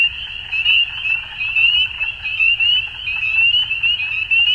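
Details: Frog chorus at dusk: a continuous high, ringing trill from many animals, throbbing in loudness roughly every second, with softer scattered calls lower down.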